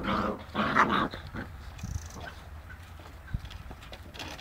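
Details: Seven-week-old Boerboel puppies playing with a cat: about a second of short, harmonic growling yelps in quick bursts, then quieter scuffling, soft thumps and faint rustling as the play goes on.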